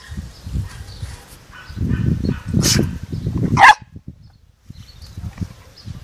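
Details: Two dogs at play, a Labrador mix and a Greek hound mix, in Călărași county, Romania; low scuffling and panting noises swell for about three seconds, then one sharp, explosive burst like a sneeze, followed by near quiet.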